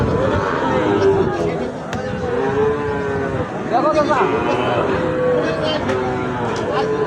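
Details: Sahiwal bull calves being bought and sold at Ambari market, which meets twice a week. Several lowing moos follow one another, some bending upward, amid a busy crowd, talking and occasional clattering.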